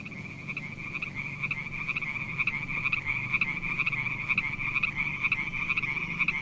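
Frogs calling at night in a steady, high-pitched, pulsing chorus.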